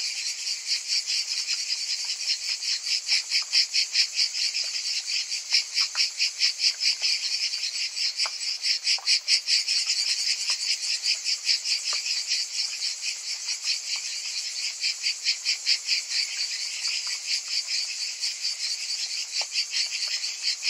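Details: Summer cicadas in full chorus, a continuous high, rasping buzz that swells and fades in rapid rhythmic pulses, roughly two or more per second, with a few faint ticks underneath.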